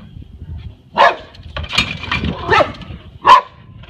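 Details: Yard dog that had repeatedly escaped, barking in four sharp, loud bursts roughly every three-quarters of a second, the last one ringing and slightly tonal.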